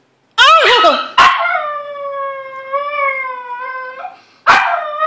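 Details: Small pet dog crying in a long, steady, whistle-like howl that holds one pitch for about three seconds, framed by short yelping bursts at the start and end.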